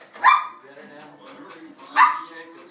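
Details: Dogs excited at breakfast feeding time: two sharp, loud barks about 1.7 seconds apart, with a quiet low voice murmuring between them.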